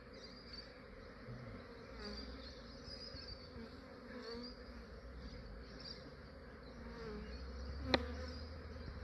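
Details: Early-morning capture of a huge Australian honey bee swarm before the insects warm up; an unbroken, dense buzzing hum with a gently wavering pitch, then a sharp knock near the end.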